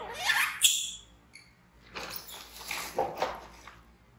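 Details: Frightened baby monkey BEAN, an orphan taken in by villagers from the jungle, screaming as it runs to hug Poppy Brown while MOMO tries to care for it; a high squeal sweeping sharply upward, then quieter broken squeaks and rustling indoors.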